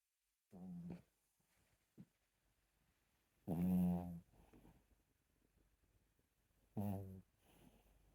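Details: Chihuahua asleep, snoring in three separate low, rattling breaths spaced about three seconds apart. The middle one is loudest. Faint breathing fills the room between them.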